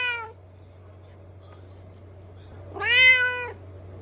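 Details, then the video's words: Domestic cat meowing indoors: the tail of one meow at the start, then after a pause a loud, drawn-out meow rising slightly and holding steady, over a constant low electrical hum. "The Ultimate Meow Compilation – Cute & Funny Cat Sounds!"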